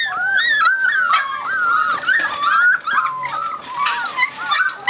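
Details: An energetic Golden Retriever puppy whines in high, wavering tones, one thin cry running into the next.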